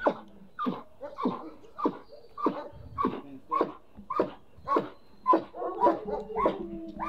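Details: German Shepherd in protection training giving a run of rhythmic barks, nearly two per second, some slightly higher and yelping, with little else audible.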